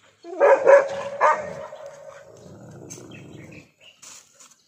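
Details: Dog that has spotted a lizard it cannot catch, giving three loud, high yelping barks in quick succession, followed by a drawn-out whine that fades, then faint scraping sounds.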